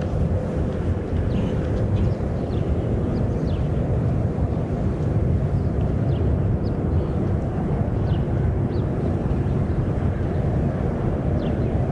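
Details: A steady low rumble of wind and distant traffic or aircraft, with only the faintest high chirps far off.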